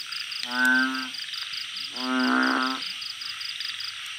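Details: Two drawn-out, low, buzzy moans from a blunt-headed burrowing frog calling at night in a backyard garden. The second call is longer and louder, and a rapid, high insect pulsing runs steadily behind both.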